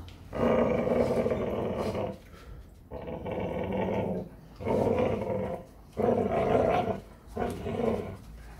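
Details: Presa Canario exercising in the morning, giving long rumbling growls in four or five sustained one-to-two-second bouts separated by brief pauses, noisy and harsh throughout.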